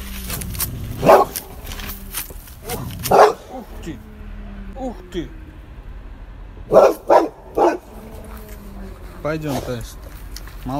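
A Boxer howls and yelps in reply to a wolf's howl, with a man talking between calls.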